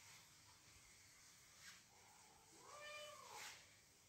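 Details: House cat, edgy while guarding her space from intruding cat voices; a single arched, drawn-out meow swells and falls late in the clip over steady background hiss.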